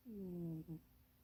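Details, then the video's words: Napping in a cramped box, Munchie the pet cat lets out a drawn, humming snore that sags slightly in pitch, followed at once by a short second puff. "Munchie kitty snoring and dreaming"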